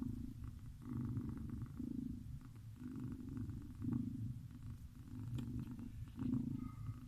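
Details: Sleeping cat snoring: low, rumbling, purr-like breaths in steady rhythm, each swelling and fading about once a second, soft and continuous throughout.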